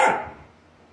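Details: Australian Shepherd, a herding dog breed, gives one short sharp bark that fades quickly into a quiet room.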